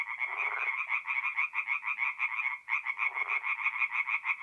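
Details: Tree frogs calling at a forest pond by night in north-east Italy in April: fast, rhythmic rasping pulses from several frogs, one voice fading at mid-point before another picks up, with a lower, buzzier note underneath.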